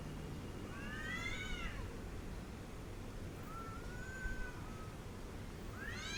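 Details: Angry cat making harmonic, arching meows: a long rising-falling cry near one second, a thin drawn-out tone around four seconds, and a fresh rising wail at the end, over steady low rumbling noise.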